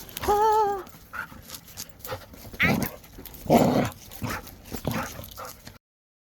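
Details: Jindo mix dog indoors letting out a clear wavering whine near the start, then scuffling noises and rough breathy bursts, with a person's voice nearby.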